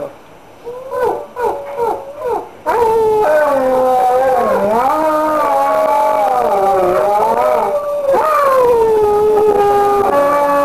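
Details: Dog at midnight howling along to a mobile ringtone; short pulsing whines first, then long sustained, wavering melodic howls sliding up and down, loud and continuous for several seconds.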